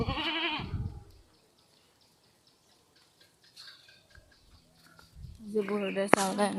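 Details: Newborn goat kid on a farm, giving a harmonic, wavering bleat near the end, with a louder voiced sound at the start and human voices talking around it.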